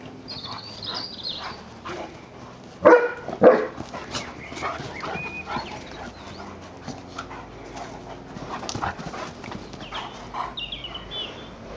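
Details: Two pet dogs, an Irish Setter and a Tibetan Terrier, playing together indoors: two loud, sharp barks in quick succession mid-way, with thin high whining squeals near the start and end over scuffling and rustling noise.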